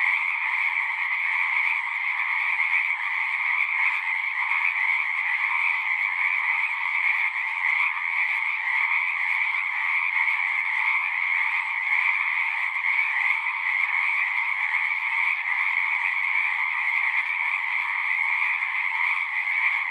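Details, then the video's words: Frogs singing in a dense, continuous chorus of overlapping croaks, energy in two steady bands, a lower one and a brighter higher one, with no pauses and no other sounds standing out. "One hour of singing frogs."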